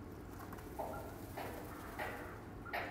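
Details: Young dwarf mongoose triplets at Schönbrunn Zoo, around St Nicholas' Day, give short, high chirping peeps, about four in three seconds, each a quick bright note, over a soft background hiss.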